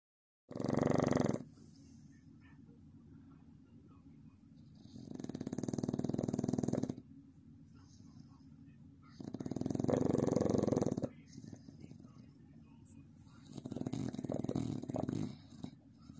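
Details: A sleeping Staffordshire Bull Terrier pup snores in long, rasping breaths a few seconds apart.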